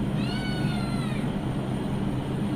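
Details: Male cat asking for milk in a home kitchen: one drawn-out, slightly falling harmonic meow of about a second, over steady low background hum and household noise.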